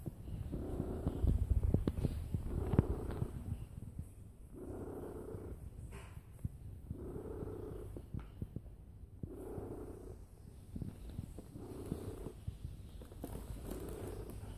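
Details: Purring cat at rest, lying down: a deep, steady rumble rising in regular surges roughly every one and a half seconds, each breath-cycle purr loud and even, with no other sounds around.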